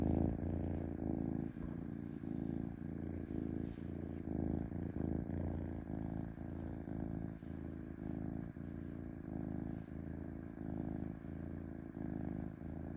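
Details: Purring domestic cat, a smooth continuous rumble pulsing in regular breath cycles of roughly a second, steady and unbroken apart from short dips between inhale and exhale.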